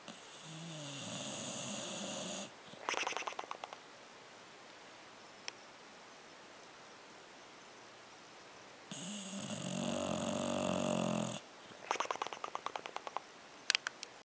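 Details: English bulldog asleep, snoring with flapping lips: two long rasping snore breaths about six seconds apart, each followed by a quick burst of fluttering, clicking lip flaps, with quiet pauses between.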